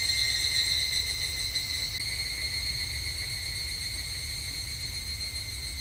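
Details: Higurashi (evening cicada) in summer at a temple in Japan: a thin, even, rapidly pulsing high whine that starts a little louder and then settles to a steady, softer level.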